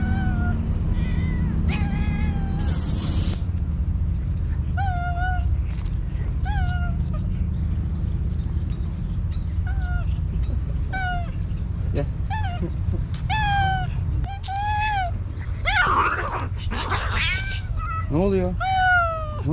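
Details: Many hungry stray cats in a village greet their late feeder angrily, meowing repeatedly and overlapping in long and short cries, with a brief hiss-like burst and scuffling amid steady engine rumble.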